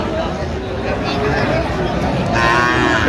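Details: Friesian and cross-breed bull calves being bought and sold at Raniganj cattle market in Dinajpur on 16 October 2025; a drawn-out, harmonic moo rises late in the clip above a steady roar of market crowd noise and chatter.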